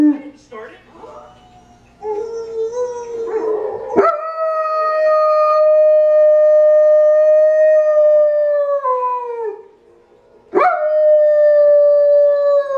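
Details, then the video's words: Dogs howl in reply to the Zootopia howl. Long, steady, clear tones hold for about six seconds, then dip and fall away. After a short gap a second sustained tone begins. Mixed, noisy sounds come first. "Dogs howling to Zootopia howl"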